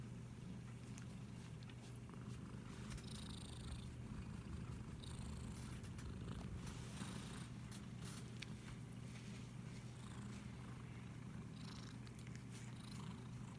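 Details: Pet cat being petted, captured with an iPhone SE, giving a constant deep purr for the whole stretch, with scattered brushing and rustling noises from the stroking.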